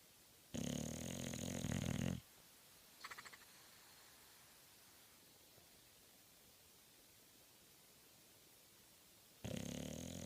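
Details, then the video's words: Bulldog snoring hard with a little lip action: two loud, rough, low rattling snores about eight seconds apart, plus a brief faint fluttering sound between them, in a quiet room. "Bulldog snoring hard"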